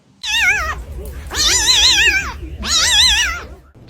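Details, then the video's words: Domestic cat giving three long, loud meows, each with a wavering, vibrato-like pitch that warbles up and down, the second and third drawn out over about a second each, low background hum beneath. "A unique cat meow"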